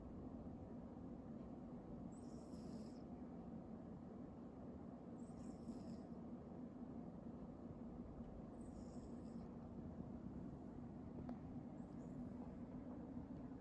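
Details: Domestic cat named Hime snoring: high, airy whistling breaths in short wheezy bursts about every three seconds, over a steady low indoor hum.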